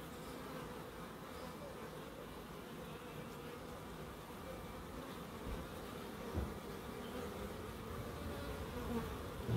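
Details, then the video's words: Bees in a small wildlife garden at an end-terrace house in Crookes, a steady low humming drone of wings continuing throughout, with faint background hiss. "1hr of Relaxing Bees"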